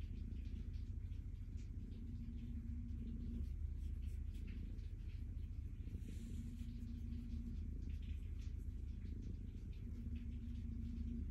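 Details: Being petted, the calico cat Stella purrs in a continuous low throb that beats steadily, while a faint humming tone comes and goes and soft stroking sounds brush over it.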